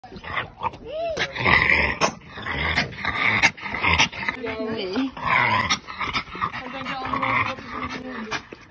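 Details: An exhausted French Bulldog pants in harsh, noisy bursts after a long walk in warm weather, with a few whimpering notes and a person talking.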